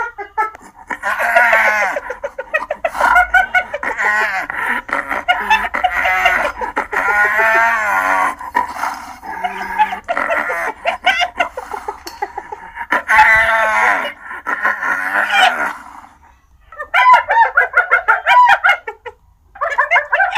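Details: Hyena laughing: rapid, chattering giggles in long unbroken runs, the pitch bobbing up and down, briefly pausing then resuming in short bursts toward the end; a dense, continuous cackling sound.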